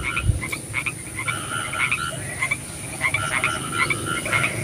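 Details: Frogs calling at night in the rain: a dense chorus of short, bright croaks overlapping one another, scattered quick clicks and chirps, over a steady hiss and a faint low rumble.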